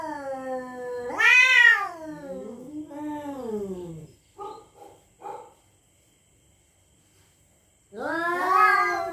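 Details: Night-time threat calls from territorial cats: a rising wail, a lower drawn-out moan, then three short clipped yowls, a pause of silence, and a final loud wailing cry.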